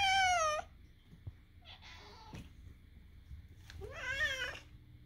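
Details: Moo the cat produces strange vocalizations as Daisy listens; a loud bent meow opens, followed by a faint chirping call and a final wavering, rising-falling meow over a soft hum.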